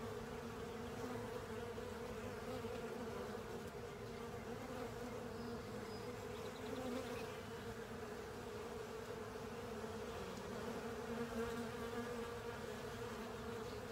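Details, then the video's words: Honey bees and other insects clearing honey from a filter, a thick steady buzzing chorus of wingbeats, humming evenly with slight swells in intensity. "Honey Bees & Pals Cleaning Up A Honey Filter"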